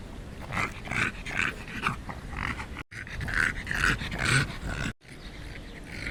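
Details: A fat little lost dog making pig-like noises: rough, snorting grunts in quick irregular bursts, about two per second, with two brief gaps of silence breaking the sequence.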